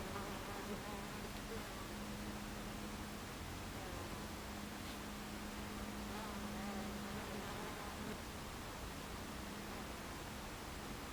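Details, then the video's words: Many honey bees crowding a hive entrance in the afternoon of 26 July 2013, giving a continuous droning hum, with a low steady tone wavering slightly and a few brief louder passes of individual bees. "Beehive Entrance Bees"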